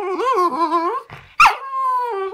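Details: A poodle named Zeus "talks" back to its owner indoors: a wavering, warbling, singsong moan, a brief break and a sharp yelp, then a long, flat, sustained tone that sinks slightly at the end.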